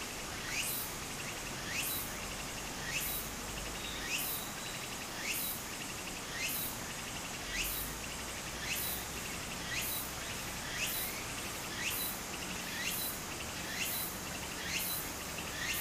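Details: Summer cicada song beside a flowing Japanese stream, broken into brief rasping bursts about once a second in a steady rhythm, with the soft hiss of running water underneath.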